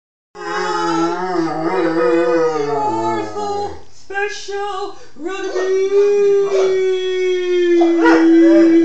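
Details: A Schnauzer singing, recorded on an Android phone: a long wavering howl with rich harmonics, a brief break, then a steadier sustained howl, possibly blended with a person's voice.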